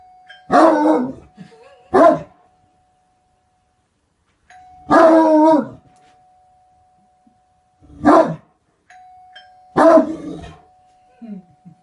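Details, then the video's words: A Great Dane gives deep, rough barks at irregular intervals: a quick pair at the start, then three single barks, about thirteen a minute, over a faint steady humming tone. "Great dane barking"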